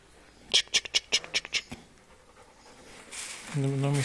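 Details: Dogs playing on a farm: a rapid run of about seven short, sharp, high yaps packed into one second, then a pause and a person's voice speaking close by.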